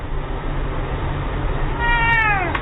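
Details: Kitten crying: one drawn-out meow near the end, a steady tone bending downward as it closes, heard over loud broadband background noise, with brief clicks just after.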